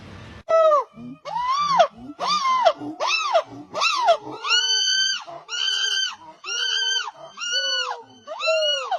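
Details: Monkeys giving a string of about a dozen strange wailing calls, each arching up then down, starting with lower hoots and turning into higher, screechy, drawn-out cries.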